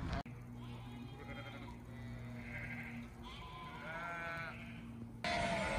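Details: Sheep flock heard as several wavering bleats in the middle, partly masked by a steady low mechanical hum, with an abrupt louder noise near the end.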